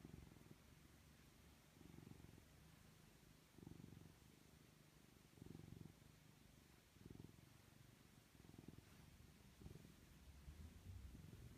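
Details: Pet cat cuddling with its owner, purring softly; quiet low rumbles come in short bursts about every one and a half to two seconds over faint background hiss.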